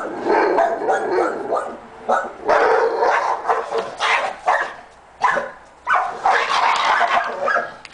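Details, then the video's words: Dogs barking at 6:15 in the afternoon on May 7th, after nearly two hours of barking; loud, rapid bursts of harsh barks in tight clusters with short pauses between volleys. "crazy dogs"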